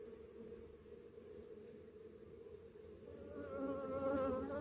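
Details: Honey bees on orientation flights in Texas, a steady wingbeat hum with harmonic stacks that grows louder and more tonal in the last second and a half as bees fly close.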